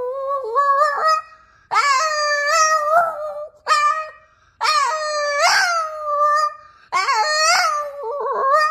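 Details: A male Boston Terrier "sings", howling in long, wavering tonal notes that slide up and down, phrase after phrase.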